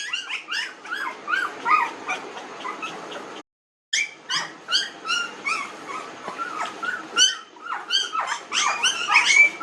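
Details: Nineteen-day-old puppies in a village giving busy, overlapping high whimpers and yips, pitch curving up and down, broken by a short silent gap near the start.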